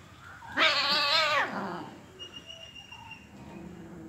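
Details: Angry cat during a fight: one loud, harsh, wavering yowl lasting nearly a second, rich in stacked overtones, then quieter low rumbling background with faint thin tonal notes.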